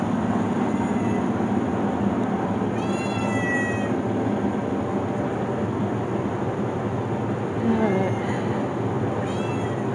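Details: Basement-dwelling abandoned cats, a group of four females and a tomcat named Cash left behind by neighbours who moved in winter; three separate whining meows, each about a second long, spaced several seconds apart over constant droning hum and a person's voice.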